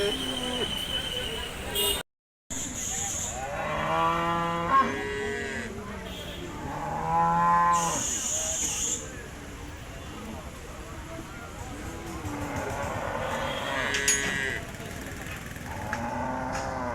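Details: Cattle at a livestock sale where a Friesian bull is being sold, giving drawn-out low moos near four and eight seconds, mixed with a man's Bengali speech, crowd chatter and brief music.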